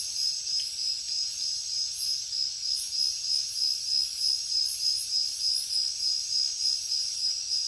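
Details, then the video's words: Night jungle crickets give a continuous shrill pulsed chirp, beats coming evenly about three per second, backed by a constant high insect hiss that rises and falls in regular waves. "Cricket sounds |Jungle night"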